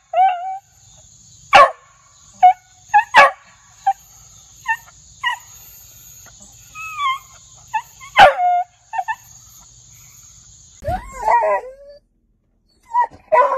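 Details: Beagle giving aggressive, loud barking: scattered short sharp barks mixed with higher whining yelps and brief rising whimpers, separated by quiet gaps, with a steady thin high tone running through most of the recording.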